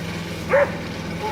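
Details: Pete, a Border Collie, gives one short, sharp bark while trying to herd a running lawn mower; a steady low engine drone fills the background.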